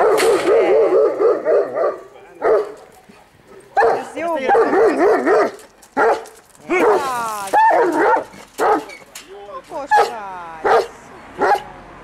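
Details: Komondor dog giving a run of barks and whining yelps, some with wavering pitch, irregularly spaced with short pauses, voices possibly mixed in.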